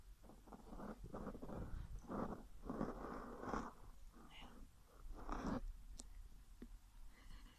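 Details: Whippet asleep, snoring with lips flapping: rough, low, fluttering bursts in an uneven run of breaths, with soft clicks toward the end.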